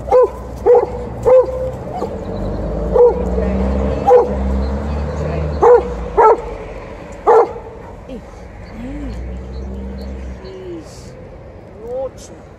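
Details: Alaskan Malamute Liza, in heat and angry at TJ the Golden Retriever, sounds off at the end of a morning walk: a series of sharp, irregular barks and yips over the first half, then softer whining moans.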